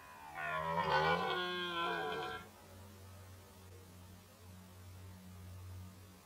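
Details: Red deer roaring during the 2019 rut: a single loud, harsh, drawn-out bellow of about two seconds with many stacked harmonics. It fades abruptly, leaving a steady low hum in the background.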